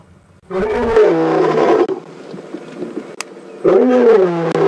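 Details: Ginger Matimba, a male lion, roaring close to a safari vehicle on an April 4 WildEarth afternoon drive: two deep, harmonic roar bouts, each about a second or more, with a quieter rumbling gap between and faint vehicle noise.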